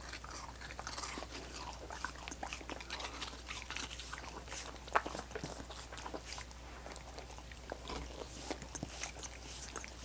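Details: Several dogs lick and bite coconut water popsicles: a dense, irregular run of wet smacking laps and crisp crunches, with no talking and a steady low hum underneath.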